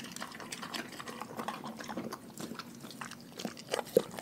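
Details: A pack of dogs eating a raw food diet indoors: soft, irregular wet smacks and crunches, with a couple of sharper snaps near the end.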